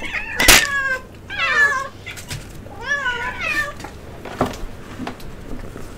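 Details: Kittens scream for egg: a sharp click-like burst, then a string of insistent, bending meows with bright overtones, a pause, and another wavering cry, some quieter noises trailing after.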